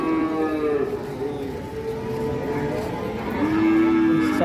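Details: A calf on the rampage lows with a sustained nasal moo near the end, arching slightly in pitch, beneath steady background music.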